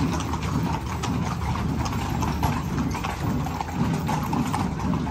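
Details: Horses walking in a parade in Zináparo, their hooves giving a dense run of crisp, uneven clip-clop clicks above a continuous low rumble of the street crowd.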